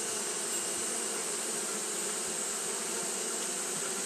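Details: Japanese honey bees fanning continuously on a hot day; a steady low droning buzz with layered humming tones, set against a constant thin high-pitched hiss.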